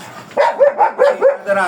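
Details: Black German Shepherd dog offered for stud service in Manaoag, Pangasinan, giving a quick run of five or six short, yelping barks roughly every fifth of a second, with a low background hum.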